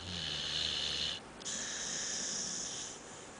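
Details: Sleeping dog sprawled on a couch like a man, giving a short rumbling inhale followed by a long breathy hissing exhale, indoors and otherwise quiet.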